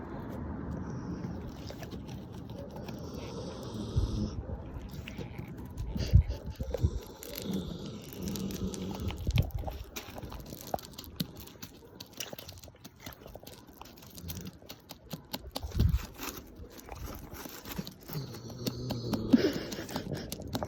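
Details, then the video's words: Sleeping Labrador Retriever snoring with its eyes open: low, rumbling snores come in uneven bursts every few seconds, with soft rustling and handling noises and brief faint voices in the room. "SNORING LABRADOR 눈뜨고 코고는 개"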